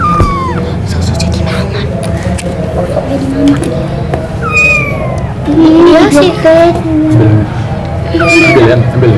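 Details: A thirsty kitten gives high, thin, downward-sliding meows, asking for milk from its mother, while children play with it and talk nearby.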